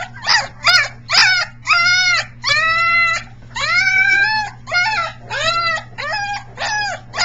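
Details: Very vocal Briard puppy, three weeks old, practising its howl on July 15, 2009, at times sounding like a peacock: about a dozen separate drawn-out whining wails, each arched and strongly harmonic, spaced roughly every half second, with a constant low hum behind.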